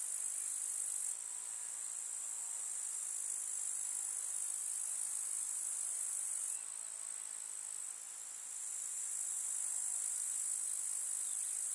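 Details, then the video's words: A countryside summer meadow among wildflowers, full of grasshoppers chirping: an even, high, buzzing hiss sustained throughout, its level stepping down and back up once midway, with no other distinct sounds. "КУЗНЕЧИКИ. Слушать звуки летнего луга"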